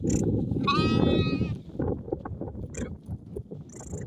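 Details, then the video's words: Sheep giving a single short, quavering bleat of under a second, partly masked by dense low rumbling and scattered clicks and knocks. "Sheep Voice | Sheep Sound Effect | Lamb Sound | Lamb Voice"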